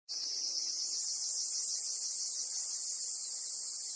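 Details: Black cicada on Amami Oshima, Japan, caught by a golden-web spider; a dense, steady, high hissing buzz begins abruptly and holds loud and unbroken throughout, with faint low rustling beneath.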